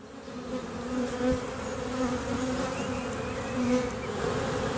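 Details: A swarm of Western honey bees gathered in a tree on 9 May 2023, being moved into a skep; bees fan with raised abdomens to signal the colony. A dense, steady humming drone with brief higher whines of passing bees.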